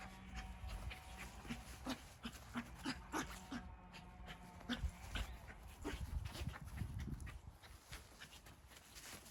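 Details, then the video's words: Puppies tumbling and playing in a group give short whiny yips and squeaks, several close together early on, over steady rustling and low thumping from their rough play. "뒹굴뒹굴 장난치는 강아지들"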